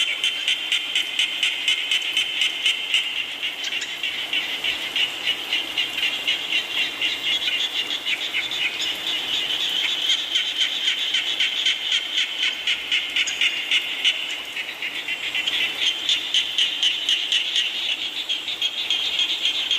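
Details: Rain-time frog chorus: continuous high, buzzy pulsing from numerous overlapping callers, about four pulses per second, dipping slightly in the middle before swelling again.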